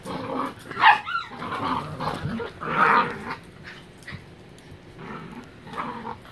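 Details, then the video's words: Miniature Pinschers play-wrestling indoors in a living room, with throaty rising-and-falling growls and a sharp yelping snarl near one second, then a longer growl near three seconds, fading into quieter grumbles. "Miniature Pinscher tag team wrestling event"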